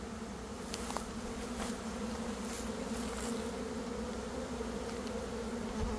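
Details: Swarming honey bees during a catch in early May produce a thick, unbroken low hum. It holds steady throughout, with light crackles and taps scattered above it.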